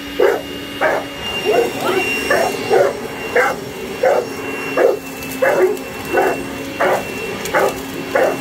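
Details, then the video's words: Boerboel barking while attacking a hoover: short, sharp barks repeated roughly every two thirds of a second, a steady machine hum running underneath throughout. "Boerboel attacking hoover"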